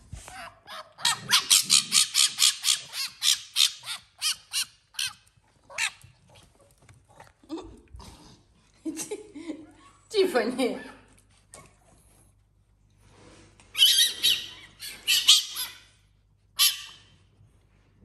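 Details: Tiffany, a pet fennec fox sharing a home with exotic animals, during play with the dog Africa: a fast string of high, scratchy squeals at the start, then scattered softer calls and brief human speech.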